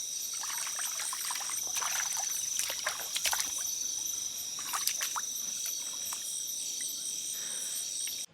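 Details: Crickets calling on a dark, moonless night beside a hill stream in remote hills of Bandarban, a steady high ringing drone throughout, broken by splashes and trickling water and scattered footsteps.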